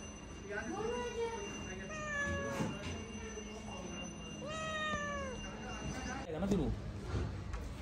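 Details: Indian street cat, a domestic cat known locally as Billi, giving three drawn-out arched meows that rise then fall, spaced a couple of seconds apart, with people talking in Hindi and a steady low hum behind.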